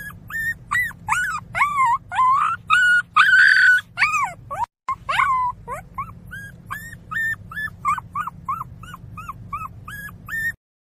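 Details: Crying puppy giving drawn-out, quavering high whines at first, then after a brief gap a fast series of short, clipped yelps and whimpers, roughly two per second, over a constant low background hum.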